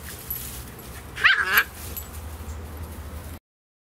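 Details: Playing Beagle puppies, 11 weeks old, Spot and Panda Bear of SouthEast Beagle Rescue: a quick pair of high, sharp yips in the middle, then quiet background hum before the sound cuts off.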